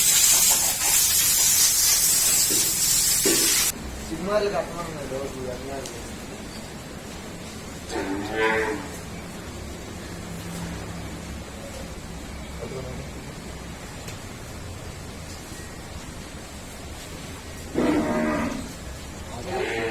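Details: ['Murrah buffalo on a dairy farm: a few short, harmonic calls spaced several seconds apart, following an opening burst of loud spraying hiss, with faint background noise between calls.']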